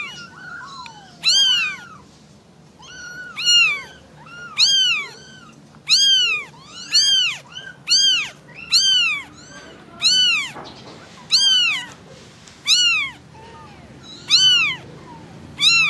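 A kitten gives high, thin meows, each rising then falling, to call its mother.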